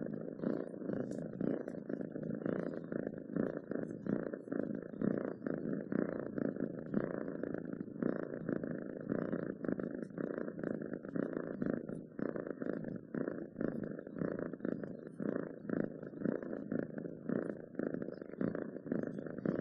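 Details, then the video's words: Purring domestic cat, a long unbroken low rumble with fine rapid flutter, swelling and fading in quick regular breaths throughout, recorded close with no other sounds standing out. "7 minutes of Cats Purring to make your day better!"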